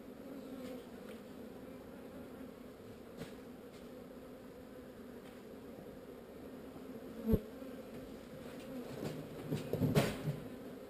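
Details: Honey bees of a swarm moved from an unwanted site give a continuous buzzing drone, deep and steady, broken late by loud bumps and rustling handling noises around seven and ten seconds.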